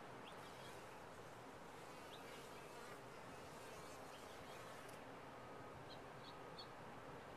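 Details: Honey bees in a top-bar hive produce a constant, muffled buzzing drone, and toward the end a few quick, faint bird chirps rise above it.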